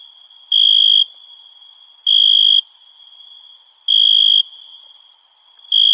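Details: A cricket sings at night in summer, in short, high, ringing bursts about half a second long, repeating roughly every two seconds, over a faint, continuous shrill hiss from other insects.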